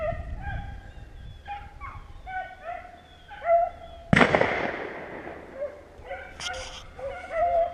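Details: Hunting beagles trail a rabbit near Vera, Virginia, giving strings of drawn-out, bawling bays in bursts. A single sharp, loud bang cuts through midway, then the pack resumes baying.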